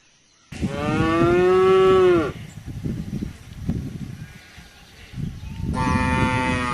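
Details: A cow lets out a long, strong moo of nearly two seconds that bends slightly downward at the end, followed by rustling and low background noise, then another moo begins near the close.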